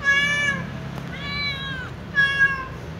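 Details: Little ginger cat talking, likely to its mother, with three clear tonal meows: a short flat one, a longer arching middle cry, then a brief bright final meow, all with a faint low rumble beneath.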